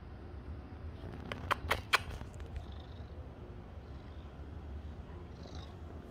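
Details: Purring seal point Siamese cat enjoying petting and wanting affection; a steady, deep, even rumble runs throughout, broken near the middle by a few sharp clicks from handling.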